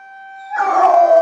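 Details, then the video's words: Female puppy at a window reacting to the weekly Saturday morning town emergency siren test; a plain siren tone is followed abruptly by a loud, rough, slightly falling howl. "Puppy howling out the window"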